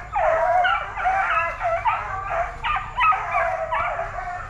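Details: Young Plott Tans, a Plott hound and black and tan coonhound mix being trained at a kennel, bred from parents that were good deer track dogs; continuous quavering bawls and howling yelps pour out in overlapping bursts, roughly one every half second.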